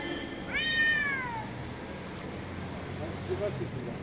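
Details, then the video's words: Street cat meowing loudly: a single drawn-out meow, rising then sliding downward over about one second, with faint background hum and no other calls. "Street Cats meowing and talking - very loudly"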